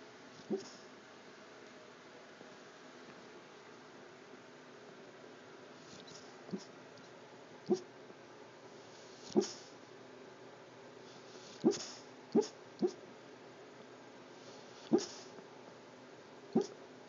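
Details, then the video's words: Sleeping pet dog giving muffled barks in his sleep; quiet short woofs and whimpering yips come irregularly, around ten in the stretch, some in quick pairs, over low room hiss. "barking in his sleep"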